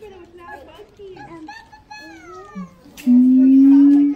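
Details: Captive siamangs at Los Angeles Zoo, father and mother singing a harmony duet while their youngster looks on: wavering, sliding hoots and rising whoops, ending in a loud, sustained, slowly rising tone.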